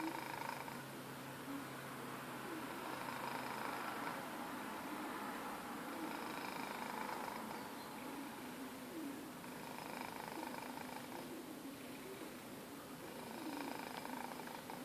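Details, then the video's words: Domestic cat snoring while asleep, a quiet, steady, airy rasp rising and falling with each breath over a low background hum, heard in a small room. "snoring cat"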